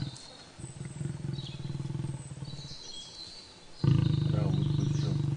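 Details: Lion and lioness during mating: a low, pulsing, rumbling growl held for several seconds, swelling into a louder, steadier throaty rumble near the end, with faint bird chirps high above.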